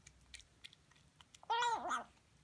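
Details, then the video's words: Harley, a new female Siamese kitten, eating sardines indoors; mostly quiet with faint chewing ticks, then one loud, wavering meow near the end lasting about half a second. "Noisy Siamese Kitten Eating"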